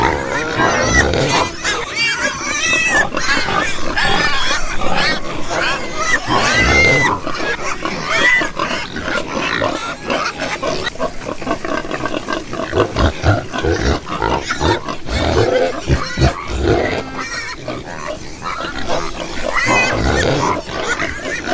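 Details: Several farm pigs calling together, a steady mix of throaty grunts and short rising squeals that overlap throughout, busy and continuous with no pauses.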